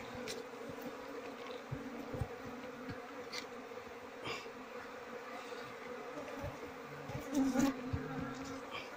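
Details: Queenless Asian honey bee colony, comb packed with honey; faint, even droning hum under a hiss of background noise, a single bee flying close briefly near the end.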